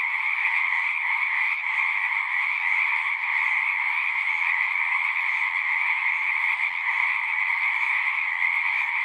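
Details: Many frogs singing together in a dense, steady chorus of overlapping croaks and trills, forming a continuous, unbroken wall of sound from start to end, with no other clear sounds.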